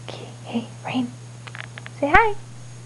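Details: Pet cat named Rain, indoors at 11:30 at night, coaxed to say hi: soft whispered calls of "kitty" and "hey Rain" come first, then one short tonal meow that rises and falls, over a steady low electrical hum.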